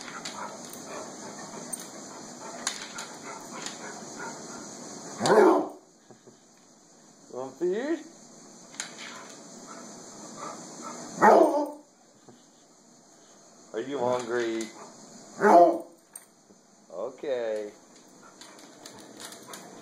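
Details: Basset Hound asking for food, dancing and scratching at the floor: several short, strained whining barks with falling pitch arrive in spaced bursts, while a person repeatedly asks whether it wants food.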